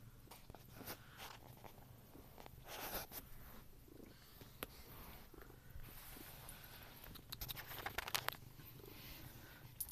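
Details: Domestic cat named Ronan growling at another cat, Muff, while trying to eat a piece of cheese indoors; a low, rumbling growl runs under sharp chewing clicks and crunches, with funny noises as he eats.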